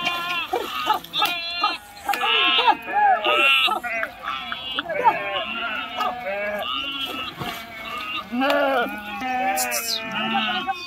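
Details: Sheep crossing a river by swimming keep up a chorus of shaky, bending bleats, some near and loud, others softer, with sharp splash-like clicks between calls.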